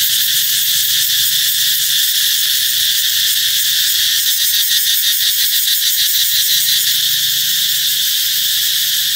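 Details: Cicadas singing loudly, announcing the coming of summer: a dense, steady high-pitched buzzing drone that fills the whole clip without pause, with a faint pulsing texture and only a weak low rumble underneath.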